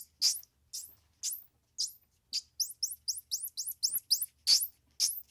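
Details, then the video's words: Squirrel monkey peeps: sharp rising squeaks spaced about half a second apart, breaking into a faster cluster of doubled, hooked chirps in the middle, then louder single squeals. "Squirrel Monkey Sound"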